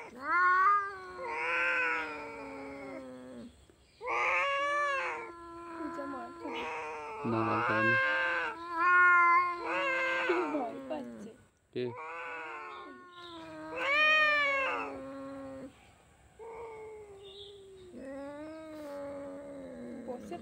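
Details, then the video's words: Two cats quarrelling trade long, warbling, moaning yowls in repeated drawn-out phrases of one to three seconds, separated by brief pauses. The yowls rise and fall in pitch, with some harsher, nasal outbursts in between. "দুই বিড়ালের ঝগড়া"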